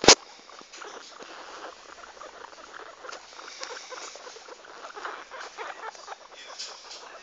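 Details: Guinea pigs exploring give soft, rapid squeaks and chattering chirps, scattered irregularly after one sharp opening click.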